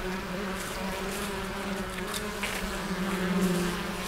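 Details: Western honey bees buzzing at an opened hive in spring, the colonies healthy with brood and honey; a steady low hum with a constant tone and faint overlapping wingbeat drones, no other clear sounds.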